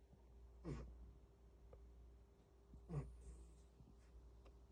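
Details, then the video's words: Seven-year-old Bengal cat named Cash, spayed after giving birth twice, snoring in her sleep with apnea-like pauses; two short breathy snorts about two seconds apart over a low steady hum in a quiet room. "아재 빙의된 뱅갈고양이 #소리필수 #cats #코골이"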